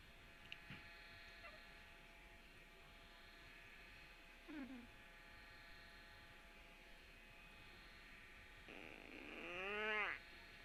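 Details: Puppy whining on Tuesday, March 17: a faint early whimper, then a longer, louder nasal whine that climbs and falls before stopping abruptly, with a constant indoor buzzing hum underneath.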